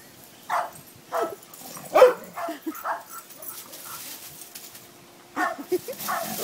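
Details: Dogs Patty and Ladybird playing together: a few short muffled barks and growly huffs in scattered bursts, mixed with a person talking about one dog leaping.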